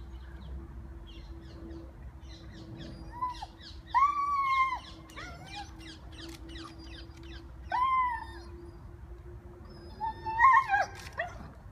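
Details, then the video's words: Hera, a 16-month-old Rhodesian Ridgeback, vocalising at squirrels in Gunnersbury Park, London: several drawn-out, moaning whines that rise and fall, plus a short twisting burst at the end, over bird twitters and a steady low hum. "Rhodesian Ridgeback Hera talking to the squirrels"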